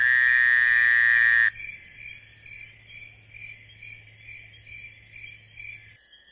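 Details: Crickets chirp at night in quick, evenly spaced pulses after a loud, steady tone at the start.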